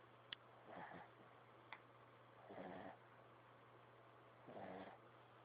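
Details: Little dog snoring in its sleep: rasping, pulsed breaths roughly every two seconds against a constant low hum, with a couple of brief sharp ticks early on.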